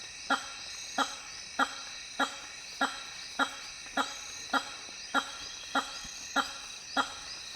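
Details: Hammer-headed bat (Hypsignathus monstrosus), honking call.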